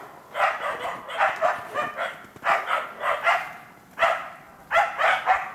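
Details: Two Karelo-Finnish Laikas, Rus-Fin (2 years) and eight-month-old Kaya, bay at a wild boar in an enclosure during trial preparation. Loud high barks fall in quick groups of two or three, separated by gaps of about a second.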